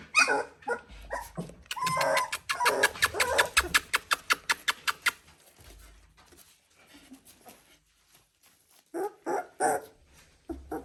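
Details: Three-week-old Border Collie puppies: a quick run of sharp, clicky yips about four per second, then a lull, and a few louder yelps near the end.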